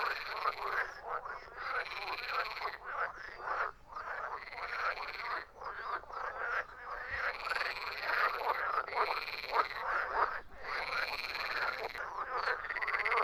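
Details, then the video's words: Frog chorus of croaking calls: repeated bursts of rattling, pulsed croaks from many animals, separated by brief near-gaps every second or two, continuing steadily. "Frogs croaking"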